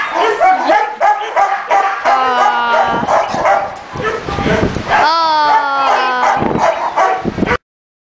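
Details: Mush, an 8-month-old male Labrador cross rescued from stray kennels after a road accident, now awaiting adoption: loud rapid barks mixed with long, sliding, whining howls, with a human voice overlapping much of the time.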